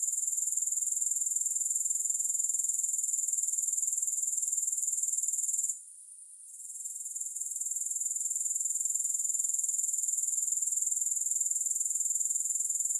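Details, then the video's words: Steady, piercing high trill of grasshoppers without music, pulsing evenly about four times a second. One short gap of near silence falls midway before the shrill chorus resumes at full strength. "Grass Hopper Sounds"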